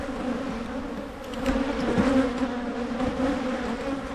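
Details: Honey bees humming at Michigan hives split to limit swarming: an even, deep droning buzz with two steady tones, briefly swelling louder as a bee passes close near the middle.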